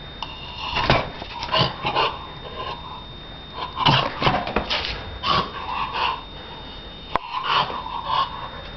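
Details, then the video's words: Donna, a Shar Pei, playing indoors in a small room: short bursts of grunting, growly vocal sounds come in irregular clusters, with scuffling noise, a sharp click near the end and a faint steady high electronic tone. "Donna Shar Pei jugando"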